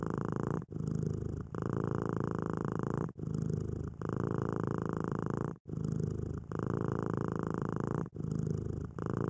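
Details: House cat purring in contentment: a low, even rumble that rises and falls with its breathing, each exhale running about one and a half seconds before a shorter inhale purr and a brief pause, repeated four times.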